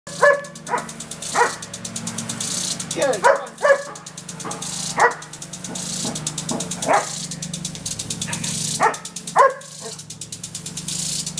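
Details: Irish Setter female barking in a backyard at a water sprinkler she treats as an unwelcome visitor; sharp barks every second or so, some doubled, over the steady hiss and ticking of the sprinkler.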